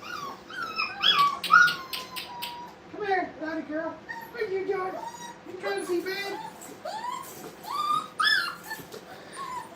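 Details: Playing Brittany puppies in a kennel room give many short whining and whimpering calls, rising and falling in quick series, overlapping with a man speaking.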